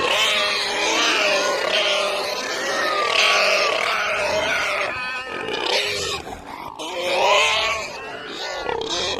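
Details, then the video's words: Pig giving a long, continuous extreme squeal, harsh and shrill with a wobbling, rising and falling pitch, easing slightly midway then swelling loud again near the end. "Pig Squeal/Snort (Extreme Animal Sounds)"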